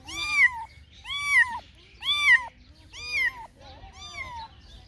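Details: A cat meowing five times, each meow a clear, bright arched cry about half a second long, spaced roughly a second apart, the last one softer and trailing.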